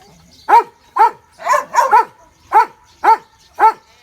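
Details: Dogs (Belgian Malinois, German Shepherd and Border Collie) playing outdoors on grass near a water pool, where they watched a rabbit. Seven sharp, loud barks ring out roughly every half second, two coming close together mid-sequence, over a quiet background.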